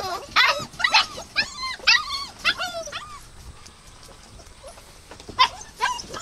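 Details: Dogs yelping in rapid high squeals, each with a bent, falling tone, clustered in the first three seconds, then a pause and two more sharp cries near the end.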